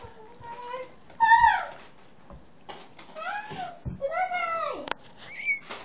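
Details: Kittens on their first exploration after their first taste of milk give high, thin mews that slide downward, four short cries spread over about six seconds with quiet gaps between them, indoors.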